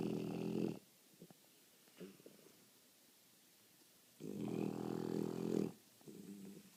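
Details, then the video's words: Snoring French Bulldog: deep, raspy, rattling snores, one short and one long drawn-out, followed by a softer third, with faint snuffly breaths in the gaps. "french bulldog snoring"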